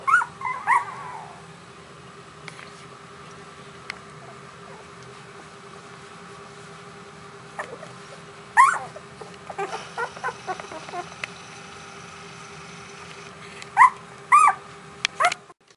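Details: One-week-old puppies, anxious and waiting for their mother to return, give high squealing whimpers in short bursts at the start, around eight seconds and near fourteen seconds, with quiet stretches between while one littermate sleeps.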